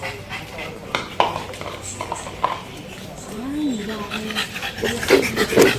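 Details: Pug dog making a soft, rising-then-falling whine in the middle, surrounded by scattered sniffs and snuffles, with nasal snorting bursts toward the end and some human voice nearby.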